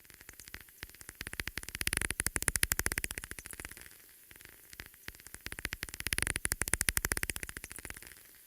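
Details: Daubenton's bat echolocation heard through a bat detector, echolocating across a wide frequency range with no peak frequency, gives very rapid dry clicks in fast bursts that swell and fade; typically flies low over water.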